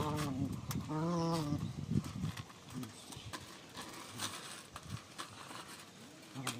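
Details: A Rottweiler playing, the same game in which its tooth came out, gives a couple of short, low, wavering moans in the first second and a half, followed by quieter rustling and scuffling noises.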